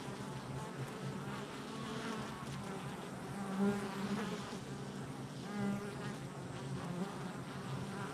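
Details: Honey bees at a hive entrance on July 22nd, 2024, a dense continuous hum of many wingbeats with steady low droning tones and passing louder buzzes as individual bees fly close.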